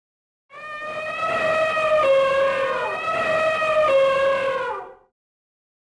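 An elephant gives one long, brassy trumpet lasting about four seconds, steady in pitch with a slight waver, and then stops abruptly.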